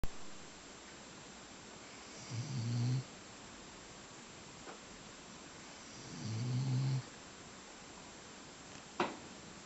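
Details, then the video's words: English Pointer dog snoring indoors after breakfast: two low, rough, rumbling snores about four seconds apart, each lasting under a second, with quiet breathing between and a brief sharp click near the end. "English Pointer snoring after breakfast"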